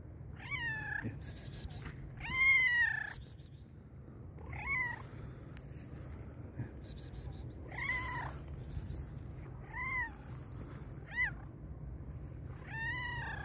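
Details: Very hungry black and white cat calling loudly, giving a rapid series of about seven wavering meows, some bending up then down, every second or two, over low background rumble.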